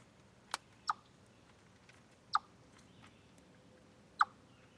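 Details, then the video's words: Chipmunk at Deer Trail, 27 August 2013, captured from a live stream, giving four abrupt, sharp chips at uneven intervals, two close together then longer gaps, against low background hiss. "Noise Chipmunk"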